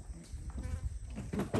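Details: Proboscis monkeys growl at one another in low, rough, buzzing pulses that rise in intensity toward the end. A person's voice briefly cuts in near the close.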